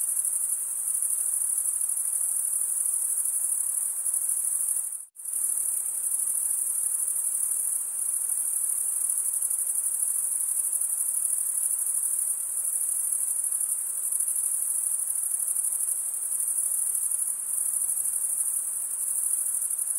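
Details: Continuous high-pitched cricket stridulation, an unbroken shimmering trill that drops out completely for a split second near the five-second mark, then resumes at the same steady level, with nothing else audible.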